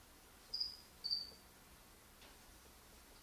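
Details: Feeder crickets kept indoors as food for a pet lizard, singing all day. Three short, high, thin chirps: two about half a second apart, then a pause before a third, over a quiet room hush.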